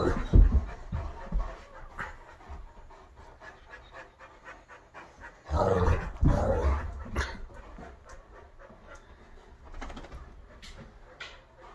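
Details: Dogs, a Great Dane, a wolf-hybrid and an Aussie mix, playing rough indoors in a living room. Irregular breathy panting runs throughout beneath scuffling and thumps, with a louder burst of commotion around the middle.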